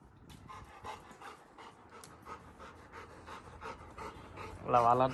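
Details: Labrador Retriever Little John pants rapidly and rhythmically indoors after being woken for a midnight walk, ending in a burst of human speech.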